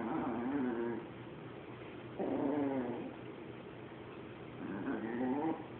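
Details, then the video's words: Hoarding Chihuahua facing off with a Boston Terrier: three wavering growling bouts, each about a second long, separated by brief pauses, over a low background hum. "Chihuahua Battle Cry"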